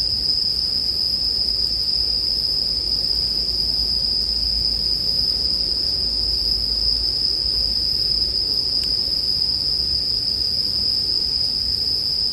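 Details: A steady shrill chorus of bell crickets holds one bright, high pitch throughout. A faint click comes midway, over a low murmur from the bonfire ambience meant for relaxation and sleep.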